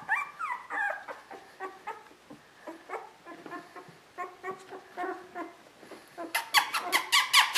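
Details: Border Collies Koda and Skye from a sable merle litter, 2014. Squeaky, rising whines and short yelps repeat in loose bursts, about two per second, and end in a quick run of sharp high yips.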